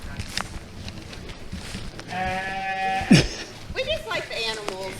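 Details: At the abandoned Yellow Dog Village mining community in Worthington, Pennsylvania, a sheep gives a long, wavering bleat, then a shorter quavering one, with people talking nearby throughout.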